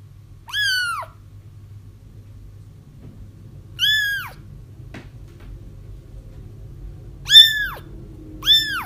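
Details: Kittens crying, used as a lure when trapping a feral mother cat; arched, wavering mews, two spaced then two close together near the end, over a rumbling low background noise.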